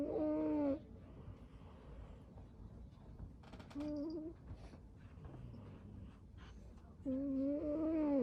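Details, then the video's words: Snoring from a cat called String Cheese, curled up asleep: a whistled snore opening, a faint short one mid-way, and a wavering tonal snore at the close, with soft rustles and clicks in the quiet gaps. "He’s all curled up snoring."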